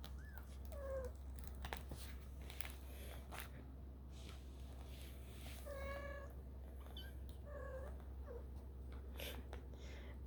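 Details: Kittens 4.5 weeks old exploring their world indoors, giving several short, high-pitched harmonic meows, some rising then falling, spaced irregularly across the clip, over a steady low hum with soft rustling and clicks.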